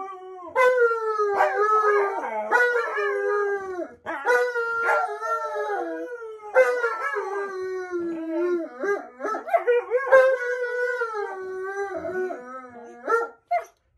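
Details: Continuous Alaskan Malamute howling: long mellow tones bend up and down, with several overlapping voices, quick yips and warbling breaks, and steady sound with hardly any pauses.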